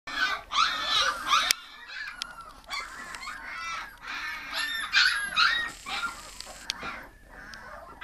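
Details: Litter of Scottish Deerhound puppies aged 18 days; high squeaky whines and squeals from several pups overlap in bursts, some rising and falling, with quieter gaps and a few soft knocks.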